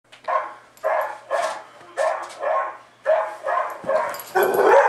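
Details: Pet dog barking at a television playing back a recording of his own barking at a dog show: about eight loud, rough barks, single and in quick pairs, ending in a longer whining, yelping outburst.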